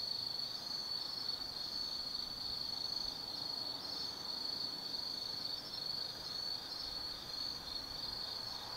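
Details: Autumn insects singing at night in the Tsukimi Forest above the Nobi Plain, Kaizu, Gifu Prefecture, Japan: a steady high continuous trill with a faint pulsing layer above it, lasting the whole stretch, with no other clear sounds.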